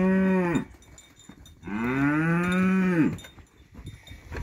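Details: Montafon livestock cow giving two moos: a brief deep low, a pause, then a longer, full, steady moo that bends downward at its end.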